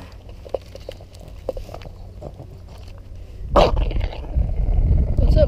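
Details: Charlie the dog guarding his Christmas bone: a quiet stretch of voices and small clicks, then a sudden burst with a dense, low rumbling growl building over the final two seconds while a person talks.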